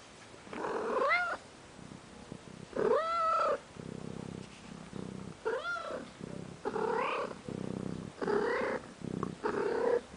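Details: A domestic cat purring in a steady, pulsing low rumble between repeated drawn-out meows that rise and then fall, about one every two seconds, in a quiet indoor space.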